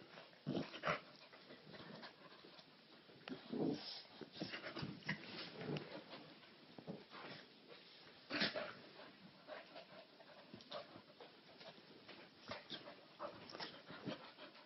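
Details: Two dogs, a little white Maltese and a bulldog, wrestling indoors as he chews and jumps on her; irregular soft grunts, panting and short whimpery noises among thumps and rustles.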